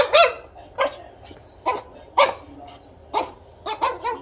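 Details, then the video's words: Very young pug puppy scolding its owner with repeated shrill yaps, roughly six short piercing barks spaced unevenly, the last two coming close together, against a low indoor hum. "pug Puppy telling his owner off!"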